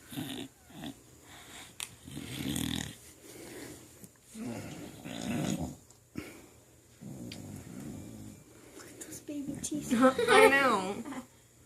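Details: Female dog snoring while awake indoors: rough, low snorting breaths in bursts roughly every two seconds, ending in a higher squeaky whine, with a woman talking softly to her.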